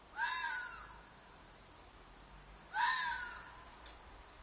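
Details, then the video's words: Red fox in a field behind an apartment at night, possibly a mating call: two loud, harsh, descending screams about 2.5 seconds apart, each lasting about half a second, with faint clicks afterward and quiet background. "Fox Noise - Fox shriek/call/cry/mating call"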